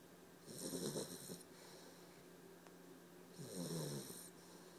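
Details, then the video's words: Dexter, a sleeping puppy, snoring: two long, raspy, rumbling breaths roughly three seconds apart, each with a hissy wheezing edge, over a steady low indoor hum. "My puppy snores"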